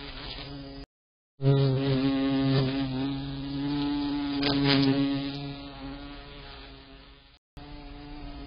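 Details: A bumble bee hovers close to a security camera, buzzing in a low, steady drone that wavers slightly in pitch.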